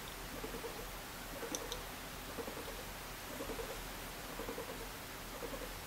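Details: A sleeping, affectionate guinea pig being stroked gives soft, low murmurs in short clustered bursts about a second apart, with a faint click or two and quiet room hiss.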